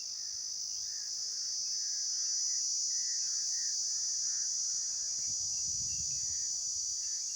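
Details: Insects calling outdoors: a steady, shrill, high-pitched drone holds unbroken throughout, with soft lower warbling notes repeating in the background and a brief low rumble near the end.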